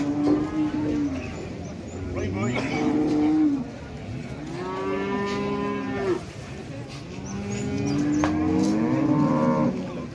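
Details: Jumbo cattle at a busy Indonesian livestock market, rare big animals arriving late as buyers compete to place a down payment and haggle through brokers; several overlapping lowing moos, some long and wavering, others shorter, over crowd murmur and background music.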